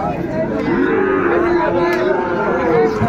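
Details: Sahiwal bull calves for sale at a crowded cattle market on 24 February 2025. A low, drawn-out moo holds a steady, slightly wavering pitch for about two seconds, with market chatter in the background.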